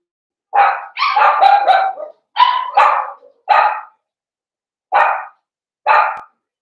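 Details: Cavalier King Charles Spaniel puppies, blenheim litter of five born on New Year's, in a home puppy pen: a run of loud, harsh barks in quick clusters, then two single barks about a second apart.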